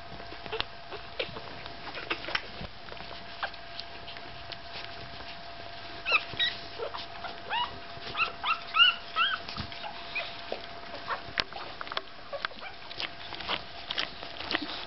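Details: Five-day-old Staffordshire Bull Terrier puppies of the Gladius litter give thin, high whimpers and squeaks, sparse at first and then a denser run of short rising and falling cries midway through, over a steady low hum.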